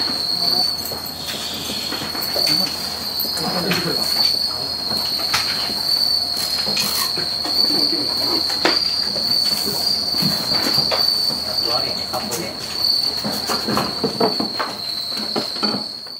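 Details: Bell crickets (Suzumushi) in peak shipping season at Bando no Oka, Naruto, being packed into cases. A loud, unwavering high trill fills the whole stretch, punctuated by frequent clicks, taps and rattling from the packing work.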